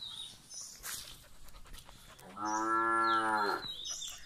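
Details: Gir cow in India during milking gives one clear, steady moo of about a second, rich in even harmonics, after a stretch of quiet farmyard clatter.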